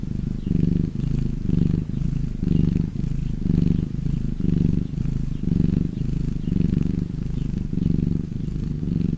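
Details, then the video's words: Domestic cat purring out of happiness, a continuous low buzzing rumble swelling and easing with each breath, close to once per second, alone and clear. "CAT PURRING SOUND"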